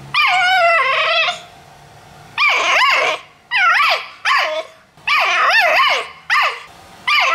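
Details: Pit Bull puppies at play give high, yelping barks in rapid bursts, each note sharply rising then falling, about seven bursts in seven seconds with short quiet gaps and a faint low hum between.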